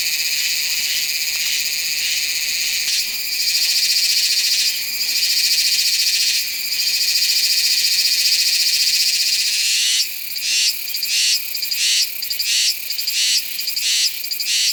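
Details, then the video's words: Meimuna iwasakii cicada singing in September at Nanzhuang, Taiwan, recorded on a Sony A7s3 with a Rode VideoMic NTG: a steady, shrill, high buzz for ten seconds, then it breaks into rapid pulsed phrases, about two per second. "岩崎寒蟬 蟬鳴聲 / Meimuna iwasakii"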